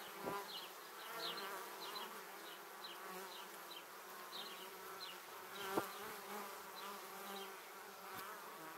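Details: Honey bees streaming toward their beehive, many passing close: a continuous humming drone of overlapping wingbeats, with faint short high chirps repeating in the background and a brief sharp tap midway.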